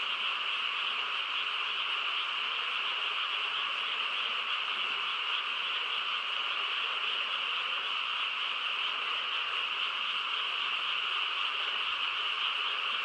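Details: Frog chorus on a quiet countryside night, a dense steady wall of overlapping croaking with no pauses, bright and high-pitched, possibly mixed with insect trilling, continuous throughout.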